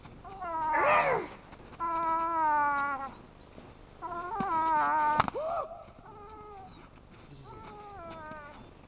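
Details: A young Boston Terrier clings to a pillow and won't release it, uttering sliding, nasal whimpers and longer wavering moans in four or five bursts, with quiet gaps between them.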